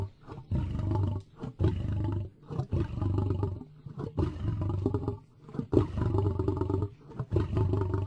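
A lion gives deep, rumbling roars and grunts in rapid throaty bursts.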